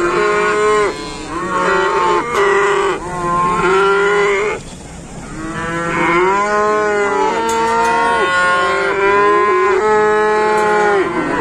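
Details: Newly arrived cattle in an Indonesian farm pen give a run of drawn-out moos: several short, steady calls first, a brief lull, then long, bending moos that overlap as more animals join in.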